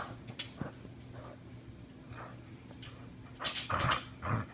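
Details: Ramona, a female Border Collie, growls while savaging her rope toy. Low, rough rumbling runs through the clip, with short snarling bursts that grow louder and denser near the end.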